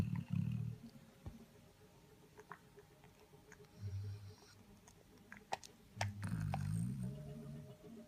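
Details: Sleeping Labrador Retriever with tongue out, giving loud low snores in uneven bursts, with the longest rumbling stretch near the end, in a quiet indoor setting.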